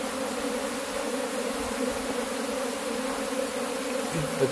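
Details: Cultivated honey bees swarming around their hive during beekeeping work; continuous low humming drone, steady in level, with a brief louder rustle at the very end.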